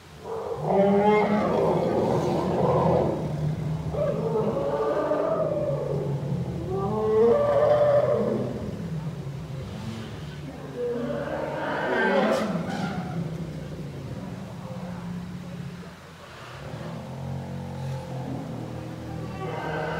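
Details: Herd of elephant cows led by matriarch Indra exploring their enlarged new outdoor enclosure at the Dschungelpalast for the first time; loud, overlapping harmonic roars and calls rise and fall in waves, with deep rumbling underneath throughout.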